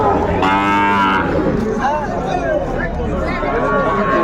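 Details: At a Chattogram, Bangladesh cattle market on 11 January 2025, a Sahiwal bull calf gives one strong, harmonic-rich moo lasting under a second, then the crowded market's talk and bustle carry on behind fainter lowing.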